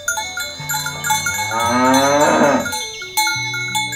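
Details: Healthy, well-fed cattle walking to the field in the morning, herded to the farm pen: a single drawn-out moo rising and then falling in the middle, with cowbells ringing steadily around it.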